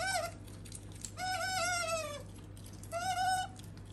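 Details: Sakura, a female pet otter, makes three squeals: a brief one, a longer slowly falling note about a second long, then a short final cry, over a faint steady hum.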